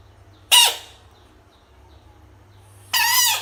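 A frog gives two loud, harsh screams, each a sudden wailing burst separated by quiet.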